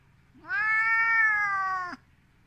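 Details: Angry ginger Siberian cat at home, provoked by a hand held toward it, voicing one long, even, nasal meow of about one and a half seconds that rises at the start and drops at the end.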